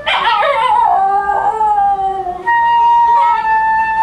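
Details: A Basenji sings "Happy Birthday" in a wavering, yodel-like howl that slides up and down alongside a steady flute accompaniment.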